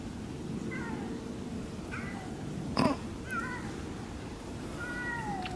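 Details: Siamese cats on an off-leash forest hike, talking as they walk: five or six short, bent, nasal meows in quick succession over steady wind rumble, with a single sharp knock midway.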